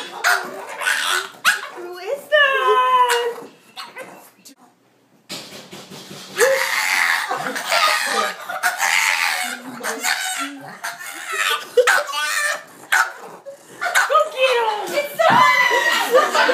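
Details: A Boston Terrier yelps, whines and barks excitedly when someone knocks at the door, as it does every time, with people talking and laughing.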